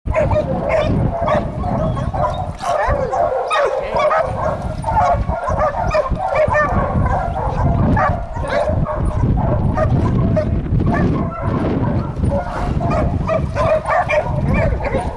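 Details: Two Catahoula dogs treeing a raccoon, barking nonstop. Rough, bawling barks overlap in a dense, rapid stream for the whole stretch, loud and close, with no pauses.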